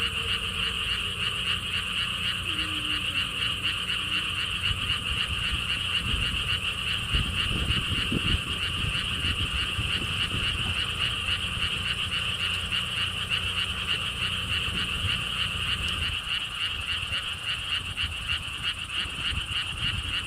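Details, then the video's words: Chorus of frogs at a lotus pond theme park in Siheung, South Korea, near a stone wall path: rapid, continuous pulsed calling in a high band, repeating several times a second, over breezy low wind noise that swells midway. "개구리 소리"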